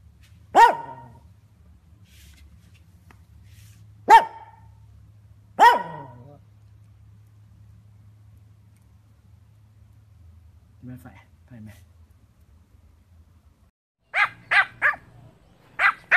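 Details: Pomeranian barking: three sharp, well-spaced barks with descending tails, a pair of faint low sounds, then a quick run of four higher yapping barks near the end, with a low steady hum throughout.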